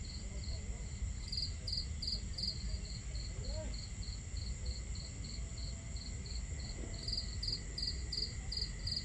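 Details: Night crickets near a campfire and water, chirping in quick high pulses, roughly three per second, above a constant thin ringing insect drone; low crackle and flowing water fill the background.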